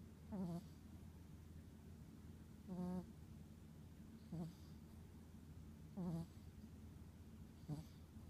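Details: A sleeping Chihuahua snoring softly: five short snores at roughly one-and-a-half-second intervals, each a brief low rasp with faint buzzy overtones, over a quiet steady low hum.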